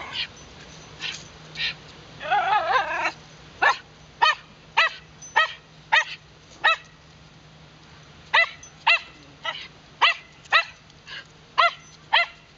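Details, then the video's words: Wire fox terriers Muu and Moa barking in Shinjuku Central Park, Tokyo, captured with a LUMIX FT1: a brief wavering whine early on, then a rapid, insistent run of short sharp barks, nearly two per second, with a brief pause midway. "wire fox terrier むぅともあ"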